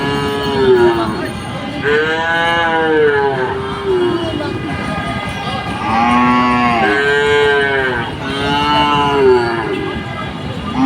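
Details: Several cows at a village market mooing in quick succession, overlapping arched moos rising and falling, one after another every second or two, with a steady background murmur.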